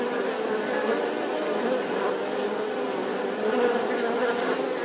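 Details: Bee droning without pause, an even, dense buzzing hum with slight wavering in pitch and loudness.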